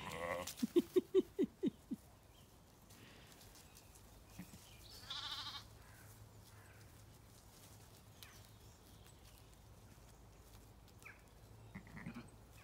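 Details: Zwartbles ewes and lambs calling in a pasture on a regenerative farm in County Kilkenny, Ireland; a quick run of six short bleats opens, then quiet field ambience with faint birdsong and a brief later call.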